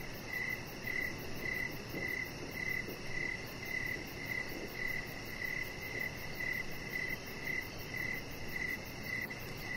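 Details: Evening cricket chorus near a backyard deck where a pet chihuahua rests under decoration lights. Bright, clipped chirps repeat close to twice per second, with a soft hum of ambient noise beneath.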